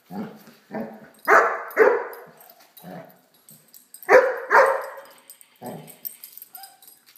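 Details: Playful barking from Blacky, a Great Dane puppy with a toy dog; low soft woofs alternate with pairs of louder ringing barks, separated by brief quiet gaps.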